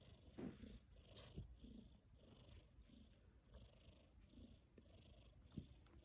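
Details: Tabby cat purring and snoring while asleep; a low, steady rumbling purr with soft rhythmic breaths and faint higher hiss.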